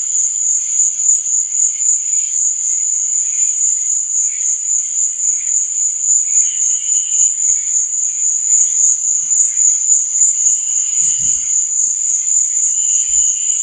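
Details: Night chorus of crickets, an even, shrill continuous trill that never pauses, backed by a quieter wavering hiss lower down. A few soft low thuds toward the end.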